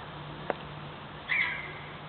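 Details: A red fox gives a single short, high yip that slides slightly downward, after a faint click, yipping at the person recording.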